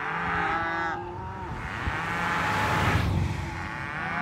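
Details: Cow moo heard briefly at the start, a harmonic bellow lasting about a second, then swallowed by a rough, broadband rushing noise like passing traffic.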